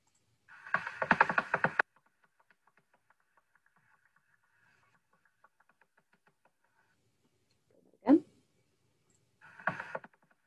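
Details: Common pipistrelle echolocation, calling at about 45 kHz, made audible by a bat detector in the Dyfi Biosphere, Wales: bursts of rapid dry clicks and smacks.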